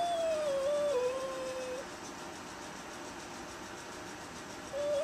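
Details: Velvet, a little black Bombay cat, tail puffed up, confronts the neighbour's aggressive cat at the storm door: one drawn-out, wavering howl sliding slightly downward for nearly two seconds, a quiet pause, then another howl starting, over low indoor hum.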